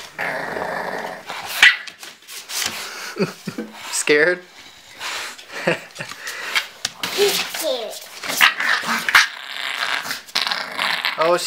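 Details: Bulldog puppy Cally play-fighting with mother Autumn during a photo shoot; rough growls and yelping barks in quick bursts, mixed with a woman speaking to the dogs and scuffling noise.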